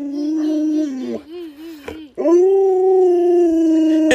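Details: Alaskan Malamute kept as a household pet, howling: a long steady tone wavering slightly, a short warbling dip, then a second strong sustained howl held for about two seconds.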